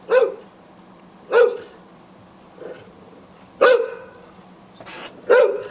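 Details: Decoy guard dog recording meant to frighten intruders: single deep barks at irregular intervals of one to two seconds, five loud ones plus a soft muffled woof, with quiet pauses between.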